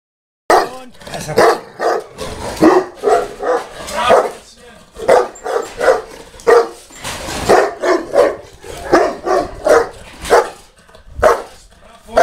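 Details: Boerboel dog barking at Delatro Boerboels during a kennel visit on 30 October 2013: deep, booming barks repeated steadily, roughly two per second, in long bursts, with people talking in the background.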